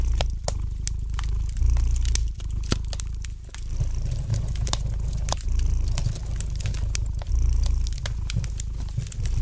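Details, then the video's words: Low, steady purring of a domestic cat by the fire, its rumble ebbing and swelling every second or so, accompanied by many crisp pops and light crackles from the burning logs. "Relax to the gentle purring of the cat and the light crackling of the fire in the fireplace!"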